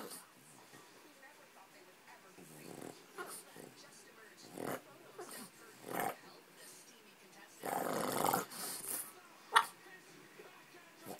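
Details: Boston Terrier grumbling and snorting in short, throaty bursts, as if talking back; he dislikes being ignored and is demanding to go to the park.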